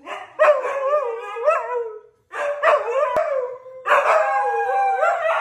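Siberian Huskies howl and yodel in long, wavering, mid-pitched cries that bend up and down.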